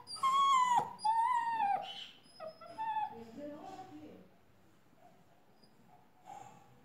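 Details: Labrador Retriever puppy in a new dress gives two long, high whining whimpers that slide slightly downward, then softer broken whines fading into quiet room sound with a faint voice-like murmur.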